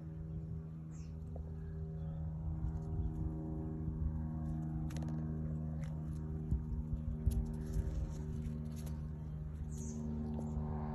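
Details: Honey bees working purple sheep's-bit flowers while foraging; a steady, low droning hum with layered harmonic tones runs unbroken throughout, with a few faint, brief high ticks scattered above it.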